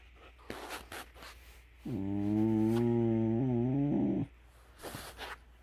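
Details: In the dark of morning, a beagle lets out a low, drawn-out howl when the alarm goes off, holding steady, then wavering and breaking off.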